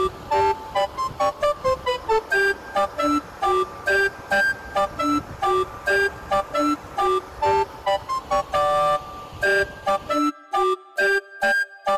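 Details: A bright electronic melody of repeated plucked notes plays throughout, with short silent gaps near the end and no animal voices.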